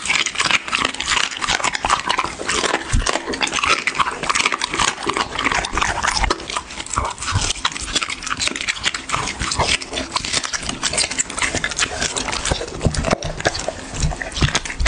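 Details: A dog eats for an ASMR eating show, with rapid, continuous crunching and smacking that barely pauses, steady sharp chewing clicks throughout.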